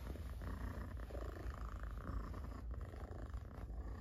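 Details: Pet cat purring loudly as it is stroked: a deep, even, vibrating rumble sustained without pause, close to the microphone, with a faint rustle of petting.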